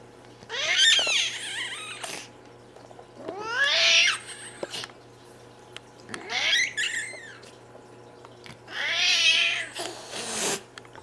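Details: Domestic cat squeaking, hissing and growling: four bursts of harsh, breathy hisses mixed with squeaky rising-falling cries, separated by quiet pauses over a steady low hum.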